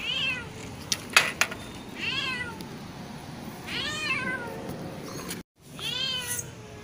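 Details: Rescued cat pulled from a canal, calling for food or attention: four clear, falling meows repeated at irregular intervals of one to two seconds, with sharp clicks and knocks near the start and a brief dropout.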